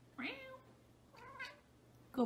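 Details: Domestic cat giving a clear rising-then-falling meow, a softer second meow a second later, and the start of a third, over a low steady hum.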